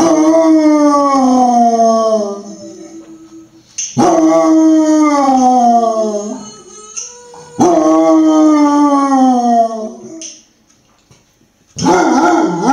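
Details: A female Basset Hound howling along to a dog and a woman singing on TV gives long, mournful howls that slide downward, repeated in drawn-out bouts.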